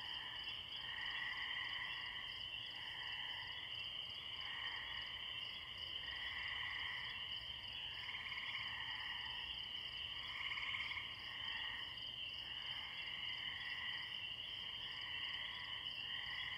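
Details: Spring peeper frogs heard from afar in a tree-lined pond with crickets chirping behind; a thick, even chorus of piercing peeps rings on without pause, overlaid by lower rolling trills that rise and fade repeatedly.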